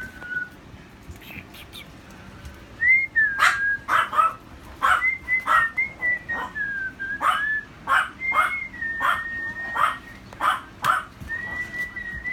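Alaskan Malamute puppies give short, sharp yips in a rapid series, with clear whistled tones running alongside.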